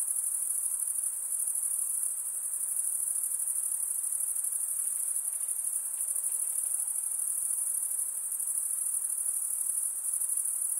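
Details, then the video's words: Nocturnal insects trilling in a steady high-pitched chorus, a shimmering, rapidly pulsed drone that never stops, with faint lower-pitched hiss and occasional soft clicks underneath. "night insect sounds"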